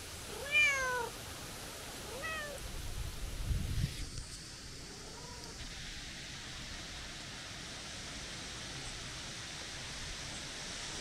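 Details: A calico cat, a stray, meowing when the person tries to leave: two short arched meows in the first few seconds, a faint low thump, then a weak falling meow before quiet background noise.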